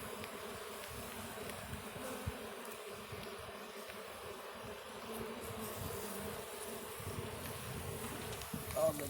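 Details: Soft, even drone of a Russian honey bee colony during the first opening of the hive on the red stand, low humming band steady, light rustle and a brief knock near the end.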